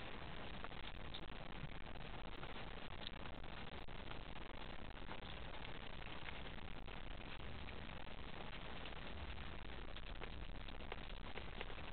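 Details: Steady broadband hiss and static throughout, with no animal voices audible.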